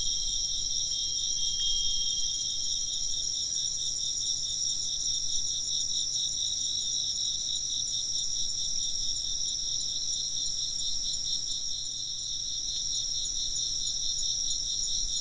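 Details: Insects chirp in a dense, steady chorus of high pulsing trills layered in several bands, unbroken for the full stretch, with a faint wind chime tinkle near the start.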